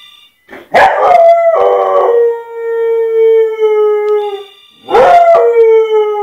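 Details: Pet dog howling in reaction to a ringing phone: two long tonal howls, each opening with a sharp rising yelp, then settling into a steady, slowly falling wail with rich overtones. The second howl begins near five seconds.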